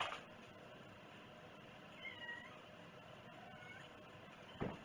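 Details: Short, gently rising and falling cat meow followed by a fainter second mew, then a single sharp knock, in a quiet indoor setting.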